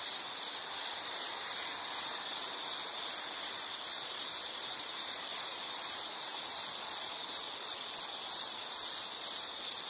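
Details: Insect singing in a soothing nature soundscape, a sharp, high cricket-like chirp pulsed nearly three times a second in steady rhythm, with faint upper overtones and a soft hiss.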